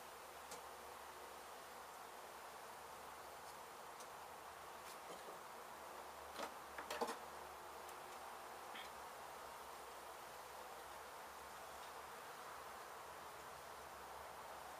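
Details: Honey bees from a hive struck by construction crews at an abandoned home being demolished in Mission, Texas, buzzing during a removal and relocation: a dense, steady hum runs throughout, with a few sharp taps and clicks near the middle.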